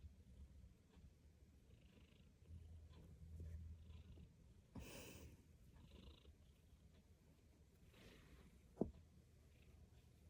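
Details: A pet cat purring while being stroked, a soft low continuous rumble with gentle swells, broken by a brief broadband rustle near the middle and a short sharp click toward the end.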